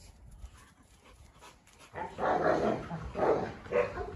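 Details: Canary Mastiff female 虎妞, a Rottweiler and a Staffordshire squabbling, each dog with its own aim; after two quiet seconds come three hoarse barks roughly a second apart over low background noise.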